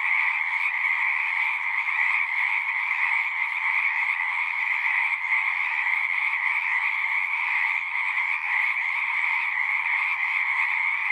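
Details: Frogs singing at a pond in a horse pasture, a dense unbroken chorus of many overlapping trilling voices in two bright pitch bands, steady loudness throughout with no single caller standing out.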